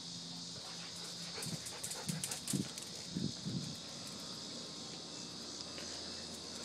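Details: German Shepherd Sheba during an obedience session, with short barks clustered between two and three and a half seconds. A steady high insect-like hiss runs throughout, and a person gives commands around them.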